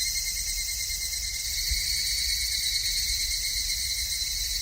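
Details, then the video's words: Wild cicadas singing in a steady, unbroken high-pitched shrill drone with a thinner lower whine beneath, continuous throughout, with faint low rumble in the background. "4 Kinds of Cicada Sound"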